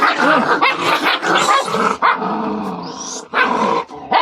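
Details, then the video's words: Canaan dog puppies kept as pets, squabbling together; dense overlapping growls, yips and short barks with a woman speaking Filipino to calm them. "Ang canaan puppies na alaga ko"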